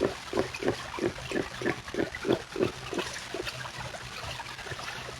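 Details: Soft gentle grunts from beavers, a quick run of short rhythmic pulses about three per second that fade out midway, over a faint wet trickling background.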